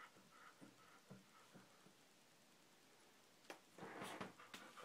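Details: Sixteen-day-old Golden Retriever puppies from the Usher and Chita litter give faint, thin squeaky whimpers about twice a second, followed by louder bursts of rustling and snuffling near the end.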